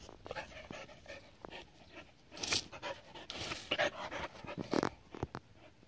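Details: A Border Collie aged seven, Adaike Polední kámen, having fun with water, pants in rapid breathy puffs with sharp splashing bursts mixed in throughout.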